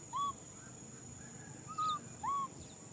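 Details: Young macaque crying for a hug: three short, pure, arched whimpering coos, each bending up then down, one near the start and two close together near the end, over a constant thin high hum.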